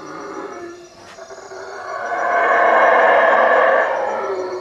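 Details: Howler monkeys calling at night from the treetops around a hut at Lake Peten Itza, Guatemala: a rough, roaring howl that swells from quiet to a loud sustained roar lasting about two seconds before easing off.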